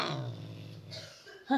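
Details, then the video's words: Angry pet cat Limon, wearing a sweater indoors, gives a low rumbling growl lasting about a second as its owner tries to take the sweater off; a woman's voice follows at the end. "Agresif ve Sevimli Kedi Limon"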